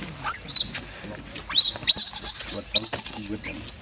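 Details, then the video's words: Young Barbary macaque at Monkey Forest giving shrill cries: a short squeak, then two drawn-out, wavering high screams of about half a second each, rising at the start, over faint background chatter. "Gig Lucie Sounds Cry From Mouth"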